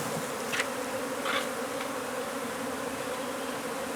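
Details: Honey bee hive under a wood pile in McAllen, Texas, during removal; many bees produce a loud, unbroken buzzing drone, broken by two brief scraping noises early on.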